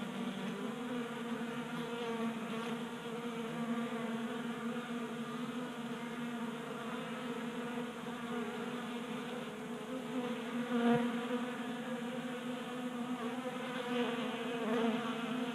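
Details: Honey bees feasting at a 3D-printed table-top feeder in a Colorado garage in January, active during a 60-degree warm spell; a steady, droning hum of many wings holds throughout, swelling slightly near the end.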